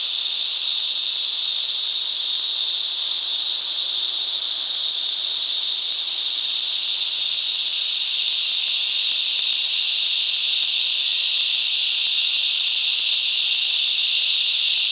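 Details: Massed cicadas singing in the bush mangroves around Coffs Harbour, New South Wales, Australia: a long, steady, high, sizzling buzz with slight swells in intensity, continuing without a break and with no other sounds.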